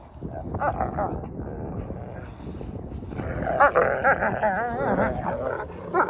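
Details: Two wolfdog puppies growl and whine in rough, wavering bursts while clowning around, playing tug over a rope toy.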